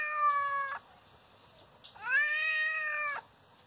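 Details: Two meows from an injured father cat that someone hit: a short one that ends abruptly, then after a pause a longer rising-then-level meow of about a second, with a person speaking softly nearby.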